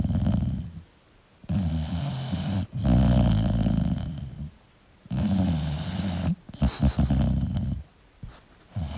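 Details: Sleeping English bulldog giving long, heavy snores, each a coarse low rumble lasting one to two seconds, separated by brief silent pauses as it breathes in.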